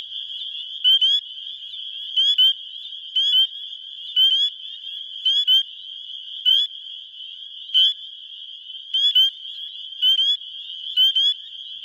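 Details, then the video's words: Male spring peepers calling in Wisconsin spring to attract females, recorded with a phone; a nearby caller repeats sharp, upslurred peeps, often doubled, roughly once a second above a continuous high-pitched chorus. "Spring Peepers (Pseudacris crucifer) calling for lovers"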